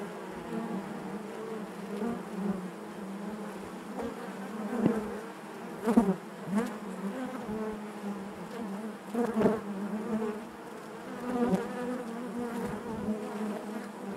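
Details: Honey bees within the hive create a continuous deep buzzing hum, punctuated every few seconds by louder close passes of individual bees.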